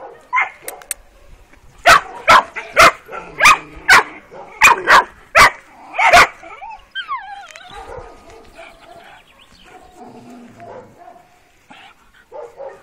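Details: Working-type Kuvasz puppies, 12 weeks old, on their first street walk, barking: a run of about eight sharp, harsh barks over four seconds, then a rising and falling squeaky whine and faint background street sounds.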